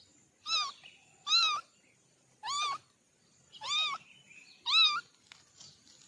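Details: Kittens from a family of four giving five clear, high meows, each bending up then down, spaced roughly a second apart against a quiet background.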